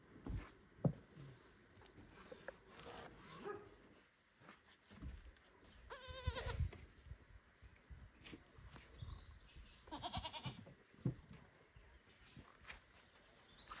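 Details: Baby goat loudly and constantly calling for its mother goat at a barn: one long, wavering, quavering bleat midway, then a shorter second bleat, over rustling, thumps and low background noise.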